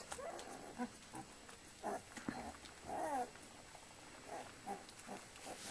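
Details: Flat-coated Retriever litter while the mother, Indy, cleans her puppies: short high squeaky whines and yelps come in scattered bursts about every half second to second, with soft rustling and licking noises between them.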